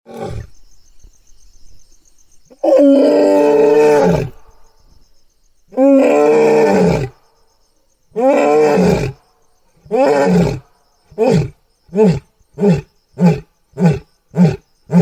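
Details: An angry lion roars at night: long, deep moaning calls give way to a quickening run of short, hard grunts.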